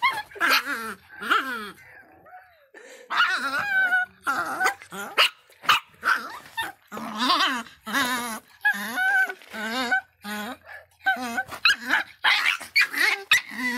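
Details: Miniature Pinscher named Faísca, described as feisty and angry, giving high, tonal barks and yelping whines in short bursts with brief pauses, some notes bending up and down, a low growl between calls.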